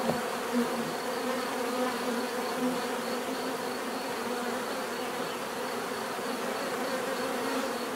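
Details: Bees hum in a steady, dense drone of many overlapping wingbeats, with low tonal bands and a faint higher whine holding constant throughout; a few individual bees briefly swell louder as they pass close.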